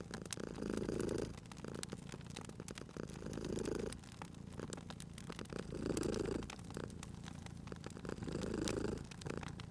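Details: Sleeping cat purring beside a crackling fireplace in a cozy spring setting: low rumbling purr swelling and fading in roughly two-second cycles, with sharp pops and snaps of burning wood throughout.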